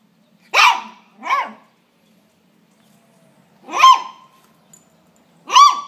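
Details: A pet dog barking while fighting a praying mantis: four sharp, high barks spaced irregularly, two close together, then a long pause before two more, each with a brief whining tail, in an otherwise quiet setting.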